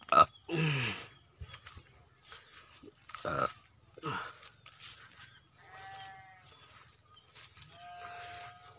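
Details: Goats kept on a small Indonesian livestock farm. Loud knocks and clatter open the recording. Two drawn-out, quavering, nasal bleats with rich harmonics follow near the end. Faint bird chirps sound in the background.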